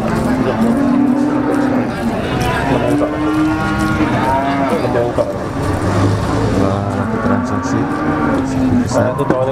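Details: Large cattle at a market in Ponorogo ahead of Eid al-Adha, 5 August 2018. Low, drawn-out moos overlap and recur through the clip, with people talking and traffic noise behind.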